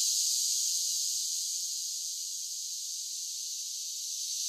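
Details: Cicadas singing in summer, a high sizzling buzz that is slightly louder at the start, then eases and holds steady; no other sounds.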